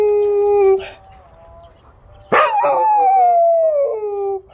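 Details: Samyong, a fawn Jindo dog, howls twice: first a steady low tone lasting under a second, then after a pause a louder cry that starts high and slides down and wavers over about two seconds.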